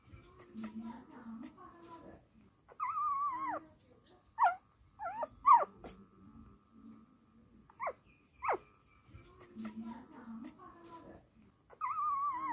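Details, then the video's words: Dachshund mother showing love and care for puppies: drawn-out wavering whines alternate with short sharp squeaky whimpers and a low rumbling hum, repeating in loose cycles. "Dachshund Dog Mother Love and Care"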